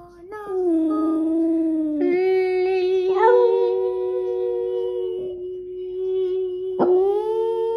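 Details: Boston Terrier Skipper, fresh from sleep, holds a long unbroken howl. It slides slightly lower, then stays level for several seconds, with short rising lifts near two, three and seven seconds.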